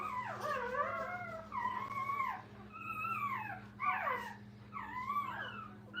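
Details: Litter of puppies with their mom: a string of five or six plaintive, downward-curving whines spaced about a second apart, thin and nasal, against a faint steady hum.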